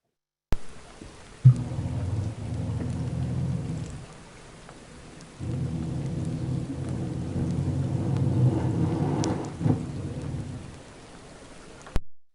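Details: Territorial male harbor seal in breeding season, recorded underwater on the Harrow Strait hydrophones after dark in summer: two long, low hissing breaths, like deep exhalations, separated by a short pause, with faint clicks and background hiss.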